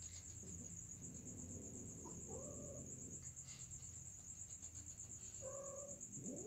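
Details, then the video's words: Two separate drawn-out, slightly wavering cat cries from a mating pair, one early and one late, with a rising squeal at the very end, set against a persistent high whine and rumbling low noise. "Kucing Sedang Kawin"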